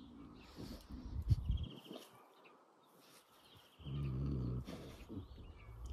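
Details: Rottweiler out for a walk outdoors and very happy, giving a low, rumbling, droning grumble lasting about a second, with shorter low grunts before it. Small birds chirp in the background and a man speaks nearby.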